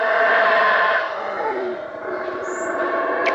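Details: A Guatemalan black howler monkey (Alouatta pigra) howls close by in bushy jungle near Flores, northern Guatemala: a deep, rasping roar that rolls on without pause.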